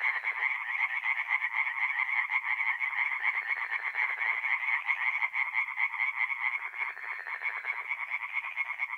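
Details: Tree frogs singing by night at a forest pond in north-east Italy, mid-April: dense continuous chorus of fast, nasal pulsed croaks from several animals overlapping without pause.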